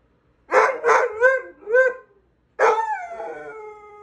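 A Basset Hound howls in a deep, rich voice. Four short, bending yowls with a rough, bay-like edge come first, followed by a steady drawn-out howl that tapers away.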